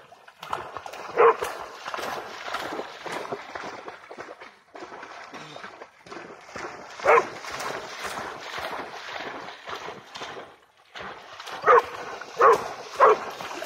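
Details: Pharaoh Hound, possibly named Jax, eagerly chasing a bug-hunting bat over water: sharp barks scattered through the clip, a single one early, then one mid-way and a quick cluster of three near the end, over Swedish speech and outdoor background noise.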